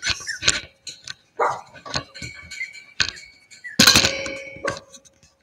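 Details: Cavalier King Charles Spaniel puppies playing inside a house where they are being raised. Short, sharp yaps and squeaks come in quick bursts, with rustling and scuffling from the play between them.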